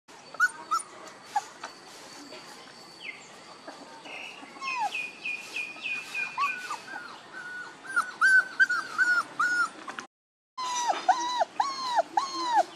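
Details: One-month-old puppies whimpering and squealing, many short arched whines around one kilohertz overlapping in rapid series, several pups calling at once, with a brief silent gap and some faint background tones.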